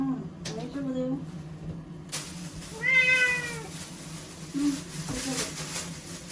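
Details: Timid ear-tipped cat in Okinawa, confined to a bathroom ahead of Typhoon No. 10 in September 2020, gives one long wailing meow mid-clip amid short broken cries and a broad hiss of background noise.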